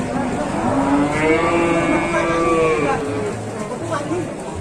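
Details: Calf of domestic cattle lowing in one drawn-out, rich harmonic moo lasting about two seconds that slowly rises and then eases down, followed by quieter low rumbling.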